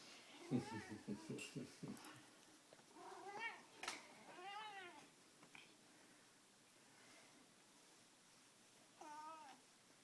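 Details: Male pet cat yelling while playing intensely with a string cat toy indoors: quick low chirps and rattles early on, then several arched harmonic meows, and one last meow after a quiet stretch.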